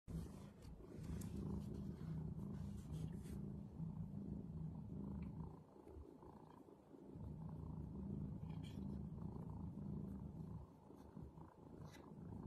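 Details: Domestic cat purring: a steady low rumbling drone that pauses briefly near the middle, then resumes with the same even throb, with faint clicks and rustles above.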